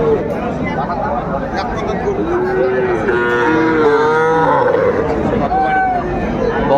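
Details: Cattle, young bulls and heifer calves, at a livestock market in Kurigram, Bangladesh, on 17 July 2024. Drawn-out, bending moos rise and fall over steady crowd chatter and bargaining voices.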